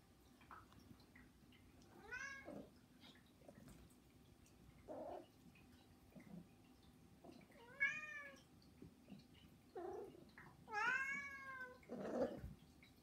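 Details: Indoors, one of three pet cats calls with begging cries. Three short, arching meows sound a few seconds apart amid quieter room noise and soft thumps, the last one loudest.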